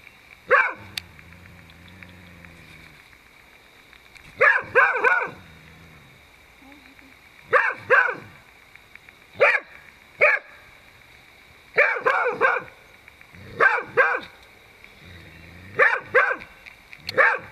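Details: Beagle named Yumin facing down a Dhaman rat snake in a vegetable plot, barking in short loud bursts, often doubled or tripled, spaced a second or two apart, with a faint steady hum behind.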